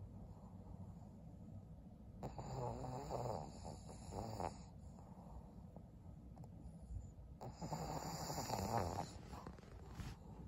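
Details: Twelve-year-old fawn female pug, a senior dog in Japan, snoring in loud rattling bursts with nasal snorts, breaths rising and falling irregularly over about ten seconds.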